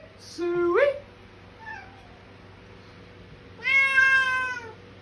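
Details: Indoor feeding time with a Bengal cat and two other cats, shouting meows: a short rising yelp, a faint soft mew, then a long sustained meow that falls slightly at its end, over a low steady hum.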